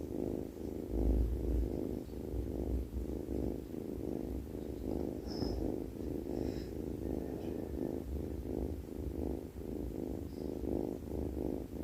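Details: Sleeping domestic cat giving a steady, low rumbling snore-like purr that swells and fades in quick rhythmic pulses, about two to three per second, with a faint high click near the middle.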